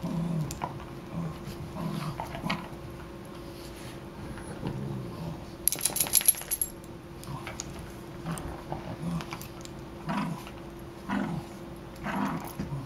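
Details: Two dogs, Riley and Buddy, playing together: short low rumbling growls and grunts come in scattered bursts, with a burst of bright metallic jingling in the middle, like tags or keys.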